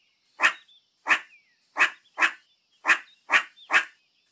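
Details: Seven harsh, explosive barks from a meerkat, each brief and noisy, coming at uneven intervals over about four seconds, with a faint squeal trailing after a few.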